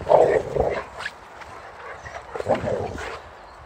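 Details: Ball held in his mouth, Boxer dog Rex plays against a chasing bucket, letting out a quick run of short, rough, muffled vocal bursts at the start, then softer grumbling noises after a lull.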